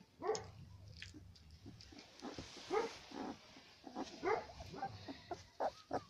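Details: Central Asian Shepherd puppy, female number four, of aboriginal Tajik flock origin, in a first mini character test: a string of short yelping barks, irregularly spaced, over a hissy background.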